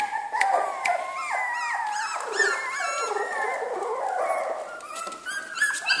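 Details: Jack Russell Terrier puppies in a kennel, several whining and whimpering together in overlapping high thin yelps and rising-falling squeals, a continuous chorus of puppy cries.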